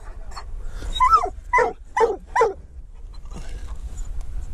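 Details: Treeing walker coonhound on a mink hunt alongside a dachshund: four loud, harmonic barks in quick succession around the middle, each dropping slightly in pitch, with low rumbling background noise before and after.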